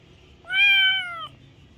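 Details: Kitten giving a single loud meow, steady and slightly falling in pitch, with clear harmonics, lasting under a second against a quiet background.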